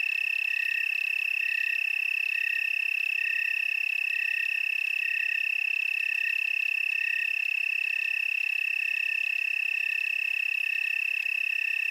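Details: Tree cricket chorus recorded in the Willamette Valley, Oregon: a steady high trilling drone with pulses swelling roughly every second, over constant ringing tones from other insects in the background.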